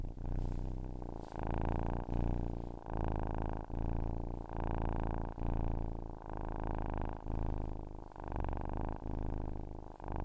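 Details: Domestic cat purring: a steady low rumbling drone with pulses swelling and fading roughly every 0.8 seconds as the cat breathes in and out, brief quiet gaps between cycles.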